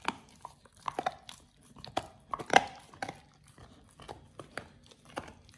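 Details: First raw ostrich paw for Oliang the Pit Bull, eaten indoors: crisp bone-cracking bites, one loud central crunch, separated by brief wet pauses.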